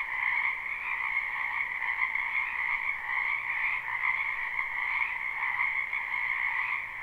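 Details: Many frogs croaking in a wetland in spring, recorded live: a dense, unbroken chorus of overlapping high trills forming a steady drone with two bright bands, pulsing slightly in loudness, no other sounds.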